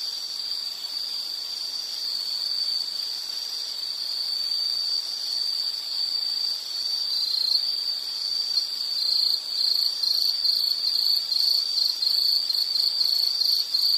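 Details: Insect sound from a relaxation nature recording: a high pulsing chirp that starts softer and grows louder and clearer toward the end, over a light background hiss.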